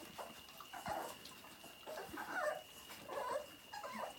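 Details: Nursing Labrador Retriever puppies at Vărădia give a string of brief, squeaky whimpers every half second or so, soft and uneven, over a constant faint high whine in the background.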